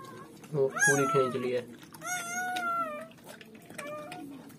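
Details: Newborn German Shepherd puppies just after birth, giving high whining squeals: a short cluster of rising-falling cries, then one long drawn-out wavering whine and a brief final squeak, with faint background music underneath.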